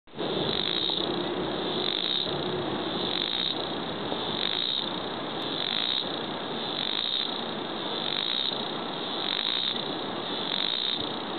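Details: Dogday harvestfly calling: a loud, continuous buzzing drone with a pulsing rhythm, swelling slightly roughly every 1.2 seconds throughout, with no other clear sounds.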